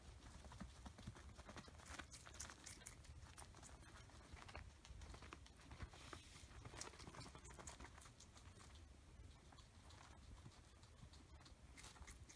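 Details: Guinea pigs Oreo and Buttercup munch an oversized cucumber over several days; dense bursts of sharp crunching and gnawing clicks, steady and busy across the whole stretch, with a soft low background rumble.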